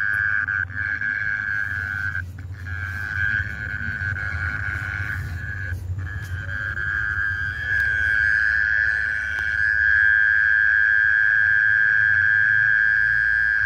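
Night insects keep up a continuous, buzzing trill on a single high pitch, fading briefly now and then before resuming. A low rumble of background noise runs underneath throughout.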